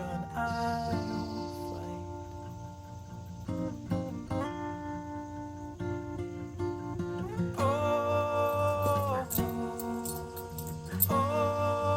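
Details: Guitar music with sung phrases and sustained tones, no animal call heard.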